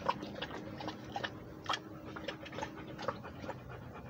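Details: Walking Rhodesian Ridgeback's breathing: quick, regular airy puffs, several each second, above a faint background hum.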